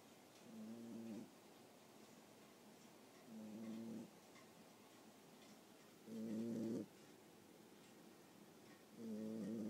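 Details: Female Boxer puppy about 9.5 weeks old asleep, microphone held close to her face; four soft nasal snores, each roughly half a second long, come every three seconds in a quiet room.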